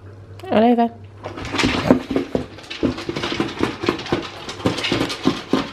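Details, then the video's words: Hungry male Alaskan Malamute begging indoors at feeding time, giving one short wavering, harmonic whine-howl near the start, followed by steady clattering of dishes and metal bowls in a small room. "Hungry Alaskan Malamute!"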